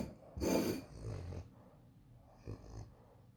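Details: French Bulldog snoring indoors: one loud rasping, noisy snore lasting about a second, followed by a softer, shorter snort-like breath a couple of seconds later, with a quiet background.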